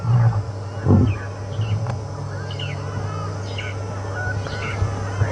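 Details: On an afternoon safari game drive, several affectionate male lions that had been grooming each other and yawning call in synchrony with deep, booming roars that fade into repeated low grunts, over a low engine hum and faint bird chirps.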